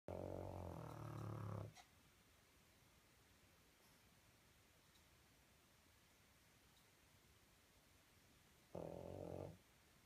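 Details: Black pug puppy snoring while asleep and dreaming: two loud, rough, low snorts at the start and near the end, separated by a long quiet stretch of soft breathing.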